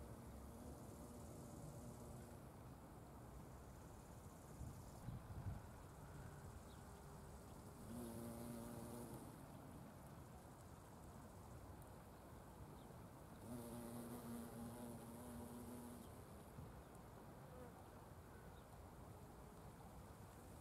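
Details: Wild violet carpenter bees among Buddleia, Brown Knapweed and Sweet Pea flowers, at natural speed. A low droning wingbeat buzz with rich overtones swells twice for a few seconds over steady outdoor background hum.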